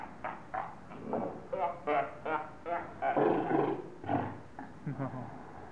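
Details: Captive seals at Zoo Augsburg in Bavaria, Germany, quarrelling and roaring at each other: about a dozen harsh, harmonic, bark-like bursts in quick, irregular succession, some drawn out and louder in the middle, over a steady low background hum.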